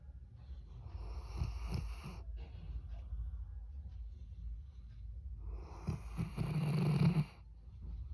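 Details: A Labrador Retriever after sleep gives two long, low, rasping, wheezy, snore-like groans with a rough breathy edge, separated by a quiet pause over faint room noise.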